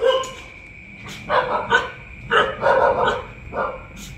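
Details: Kiko, a Telomian dog, after making a mess and being punished, gives a series of short, sharp barks and yips, about six bursts over four seconds, with a steady high electronic whine running underneath.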